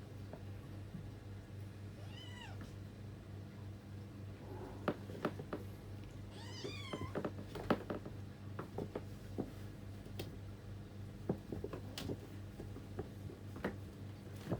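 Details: Sibling cats fighting over a bed. Two short meows, each wavering in pitch, sound about two seconds and seven seconds in, over a steady low hum with scattered clicks and rustles.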